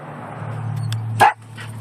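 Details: Peanut, a one-year-old Yorkshire Terrier riding in a car, gives a single short, sharp scream over the steady low hum of the engine.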